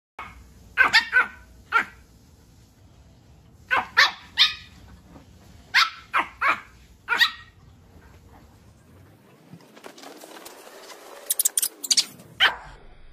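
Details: Puppies in a funny compilation: short sharp barks, often in pairs or triplets, spaced a few seconds apart. They are followed by a whooshing, rushing noise and a few clattering clicks near the end.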